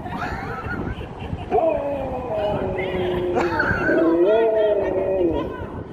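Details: Sherpa, a happy Husky, talking to strangers who give biscuits: drawn-out, wavering howl-like vocalisations sliding up and down over several seconds, with people's voices and laughter around.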